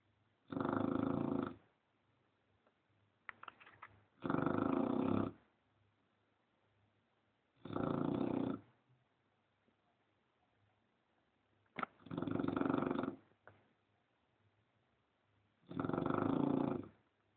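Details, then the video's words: English Bulldog sleeping and snoring, recorded on a mobile phone. Five loud, rasping, roughly one-second snores come about every four seconds, separated by near silence in a quiet indoor room. "Bulldog ingles Roncando"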